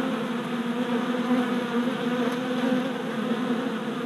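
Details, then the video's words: Honey bee workers circling a new hive on orientation flights, four days after package installation; an unbroken, even buzzing drone of numerous wings, rich in stacked tones, holding steady throughout. "Honey Bee Orientation at Hive"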